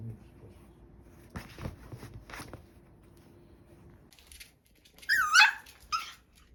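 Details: Pomeranian puppy indoors at home: soft knocks and rustles, then a short, high, wavering whine that rises and falls, followed by a second brief whimper.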